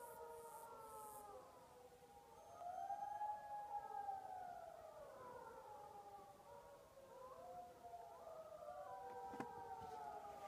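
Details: Several gray wolves in the Duck Mountains, Manitoba, howl together in long, smooth, overlapping tones that rise and fall, weaving a chorus that swells and fades over about ten seconds.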